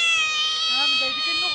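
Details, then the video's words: Young otter crying out at an animal park on Lanzarote in the Spanish islands: one unbroken, piercing, shrill wail held throughout, with people's voices faintly beneath it. "Schreeuwende otter"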